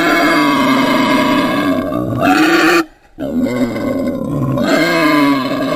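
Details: A wild boar (Sus scrofa) gives two long, harsh, nasal squeals with grunting edges, broken by a brief silence near the middle.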